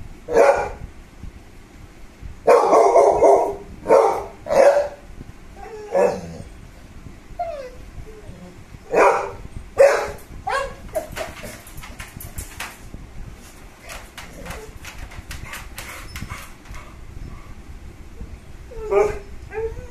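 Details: American Bully dog giving bursts of loud, harsh barks, some doubled in quick succession, interspersed with quieter yips and clicking noises, then a final bark near the end.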